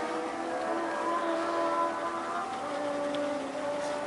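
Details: Steady droning hum with sustained tones, like a passing vehicle or train, and no animal voice.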